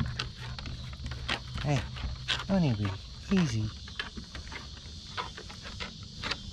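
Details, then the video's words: Basset Hound Mo saying hello while playing with his sisters on a deck: three drawn-out, falling, harmonic moaning yowls in quick succession, with a steady buzzing insect chorus behind and a person talking softly. "How Basset Hounds say Hello"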